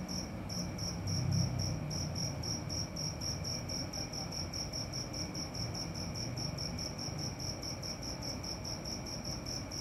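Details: Night-time cricket chirps, rapid, evenly spaced high pulses running without pause for ten seconds, over a faint constant whine and a dull low-pitched rumble.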